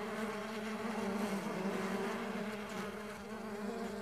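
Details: Short burst of stingless bee buzzing from a bee farm, a dense, even hum of many beating wings with no pauses.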